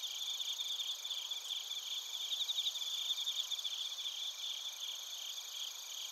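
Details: Bell crickets mixed with other crickets in Narita, Chiba, Japan, TASCAM Portacapture X8 recording; a constant high-pitched insect hum carries fast, regular chirp pulses that peak in the middle, several callers overlapping.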